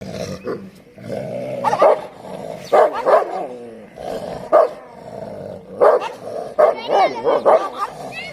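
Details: Street dogs fighting in the rainy season: loud, harsh barks break out in clusters near the start, middle and end, over a steady growling, snarling drone, with rising yelps near the close.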